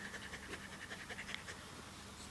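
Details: Quick rhythmic breathy panting at a whelping spot with day-old puppies that cannot yet see, hear or walk, a low continuous hum running beneath the pulses.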